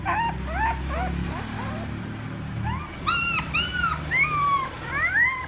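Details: Puppies crying for their mother: short, rising squeaky whimpers at first, then louder, longer arched whines. A steady low hum sits under the cries.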